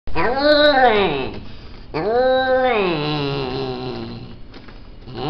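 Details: Himalayan cat giving two long, drawn-out meows indoors in a small room, each rising and then sliding down in pitch, the second longer and trailing off, with a brief gap between them.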